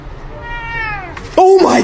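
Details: A pet cat gives one drawn-out meow with clear stacked harmonics that falls in pitch, followed by a loud burst of people speaking and background music.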